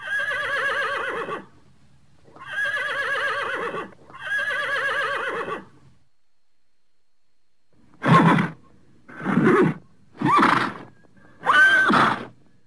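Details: Horse calling: three trembling, wavering whinnies of over a second each, evenly spaced. After a pause come four short, breathy snorting calls in quick succession.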